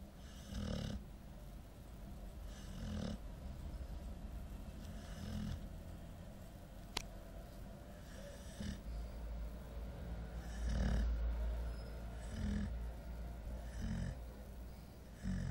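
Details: Sleeping nine-month-old female Golden Retriever, worn out, snoring steadily: deep guttural rattling breaths every two to three seconds, some louder and snortier than others, with one sharp click midway and a low room hum underneath.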